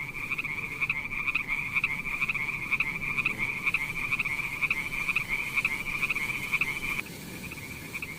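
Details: Continuous pulsing croak from a frog by wet mossy rocks where snails crawl, a rattling buzz with regular beats about twice a second, stopping briefly near the end before a quieter resumption.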